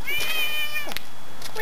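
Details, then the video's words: A neighbour's domestic cat, recorded September 18, 2013, keeps meowing. It gives a thin, high-pitched, steady meow of about half a second, followed by brief clicks and rustles, while a woman coos to it. "Non-stop meowing by Scooter the Kitty"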